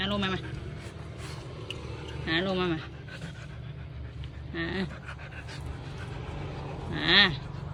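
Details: Siberian Husky called Tang at parcel-receiving time, giving four brief wavering howl-whines spaced roughly every two to three seconds, the last one loudest, over steady background noise and occasional human voices.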